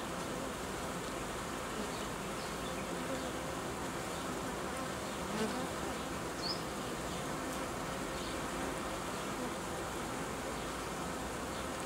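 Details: Honey bees in an apiary during colony uniting and replacement of old queens with young ones; a steady, dense buzzing hum fills the whole recording, with faint brief ticks and knocks over it.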